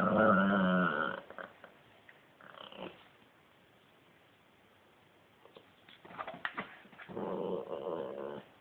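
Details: Italian greyhound making growling sounds while playing: rough, voiced grumbling growls with a buzzy, layered tone open the recording, then quiet shuffling, and another bout of throaty growls near the end.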